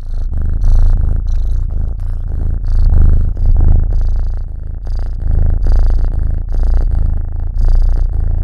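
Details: Black cat purring close to a microphone for a Halloween purr test; a loud, continuous deep rumbling purr pulsing with each breath, indoors.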